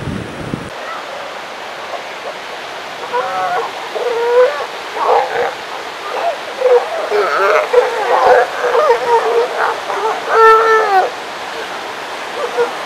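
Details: Northern elephant seals on the California or Oregon coast, several voices giving wavering, yelping, harmonic wails that overlap and rise and fall in quick succession over steady surf and wind.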